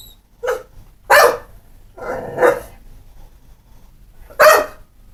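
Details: Pit bull, described as not mean or vicious, barking four times in quick succession, short sharp broadband barks with a longer rougher one in the middle, indoors with little background noise.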